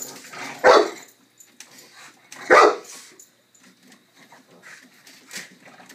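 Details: Dog during play time, giving two sharp, loud barks about two seconds apart, followed by soft snuffling and faint movement noises in a quiet room.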